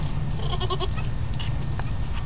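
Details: Newborn baby goat lets out a quick series of short, bleating cries early on, then goes quiet over a steady low hum.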